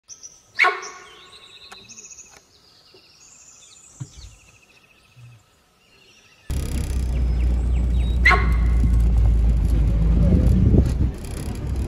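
A sambar deer gives a sharp, loud honk, a short explosive call that rings out and then repeats several seconds later. Thin bird chirps sound in the background, and a heavy low rumble of wind or handling noise fills the second half.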